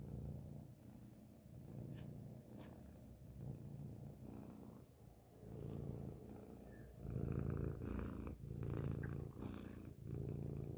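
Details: A grey cat purring loudly, recorded up close: a continuous low rumbling throb with rapid regular pulses, swelling louder in the second half, with faint rustling.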